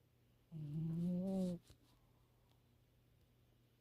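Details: Domestic cat asleep, giving a single long buzzy snore of about a second, low and steady with stacked overtones that brighten toward its close, followed by near silence before another breath begins.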